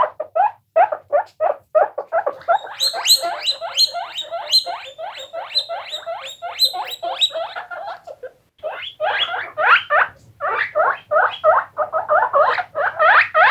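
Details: Several guinea pigs in a long run of quick, rising, whistled squeaks, roughly three a second. A short silence falls midway, then the loud squeaking resumes just as fast.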